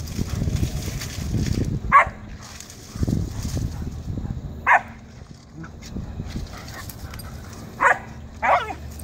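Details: Fourteen-week-old German Shepherd puppy Wolfrik contests Lala, who has taken over his digging spot: four short, sharp, high yips spaced a few seconds apart, the last two close together, with human speech in the gaps.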